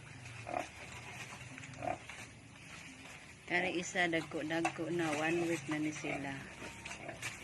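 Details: Native piglets, newly born, on a small backyard breeding farm in Balamban, Cebu, Philippines, squealing in a dense run of harmonic, shaky cries after a few quiet grunts, over constant background hiss.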